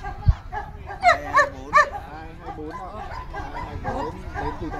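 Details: Three loud, clipped barks close together from male German Shepherds at the 2019 Vietnam Sieger Show, competing for VA; the barks come early, then an announcer speaks in Vietnamese over a murmuring crowd.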